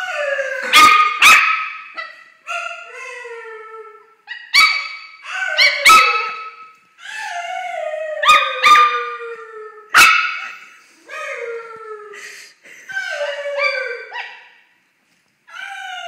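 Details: Pet dog Pepper barks and howls at Callum, with sharp clipped barks, sometimes doubled, leading into wavering, descending howls, repeating in close succession across the recording.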